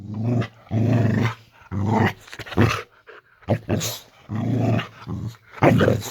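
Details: Layla the Boxer dog growling in a bedroom at bedtime. Deep, throaty rumbles come in four or five strong bursts, each about half a second to a second long, with brief gaps and a little indoor noise.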